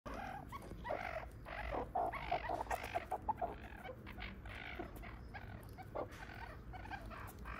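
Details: Three newborn meerkat pups born to five-year-old Sadie and six-year-old father Frankie in the Small Mammal House at Smithsonian's National Zoo, Washington, D.C.; soft clucking chirps and squeaky calls repeat in quick bursts over a low indoor hum.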